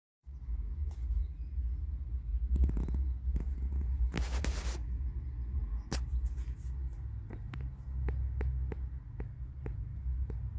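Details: A cat falls asleep in the sun, purring in a low, steady, continuous rumble for the whole stretch, with scattered soft clicks and a short burst of rustling noise midway.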